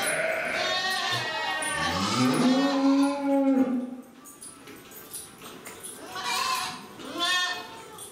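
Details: Jersey cattle at Nasu Rindoko Lake View, Tochigi, Japan, recorded 7 December 2018: a drawn-out, rising then level bleating moo about two seconds long, followed by fainter, shorter calls and background bustle.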